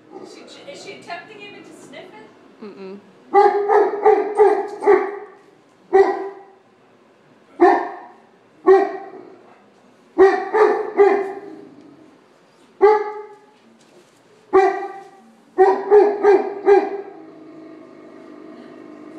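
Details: Dixie the dog on Christmas morning barking at Georges St. Pierre: speech at first, then steady single and double barks, tonal and mid-pitched, repeated every second or two, ending with a softer whine.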